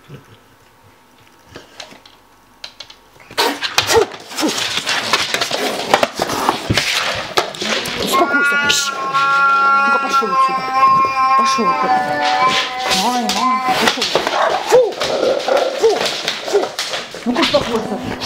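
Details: Oriental Shorthair cat attacking a Rottweiler: loud broadband hissing bursts and scuffling, then drawn-out wavering yowls with rich harmonics from about eight to thirteen seconds, a human voice speaking in places.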